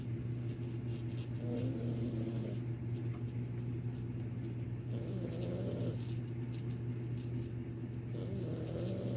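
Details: Domestic cat snoring in a house, loud enough to be mistaken for a person snoring in the other room; rasping, rhythmic snores about every three and a half seconds over a steady low electrical hum.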